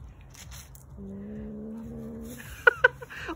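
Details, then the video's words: Domestic cat growling in a way said to sound funny, like a motorcycle: one steady, drawn-out, low tonal growl lasting just over a second, followed by two sharp knocks and faint household noise. "Кошка смешно рычит как мотоцикл"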